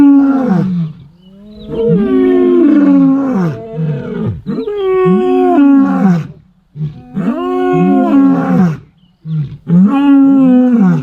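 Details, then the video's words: In the early morning in dry bushveld, two male lions waking up call persistently, roaring in displays of dominance: a series of deep, throaty, moaning, full-blown roars that rise and fall. "so there is no more iconic sound than the Roar of a male lion waking up"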